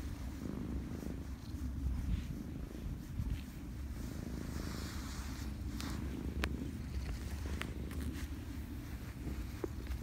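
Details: Cats by Lake Biwa in Japan climbing onto a person give a continuous deep, throbbing purr close to the microphone, with faint clicks and rustles from handling.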